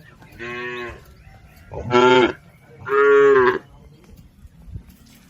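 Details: Domestic cattle in a herd heading across a river to the pen: three moos in quick succession, the first softer, the next two loud, strained and drawn out, each lasting under a second.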